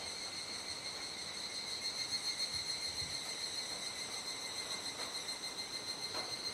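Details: Twilight cicada chorus, Kuji city, Iwate, Japan, 17 July 2017 around 19:11–19:25, fading as darkness falls. A shrill high-pitched whirr swells and pulses rhythmically about three times per second, with light clicks scattered through.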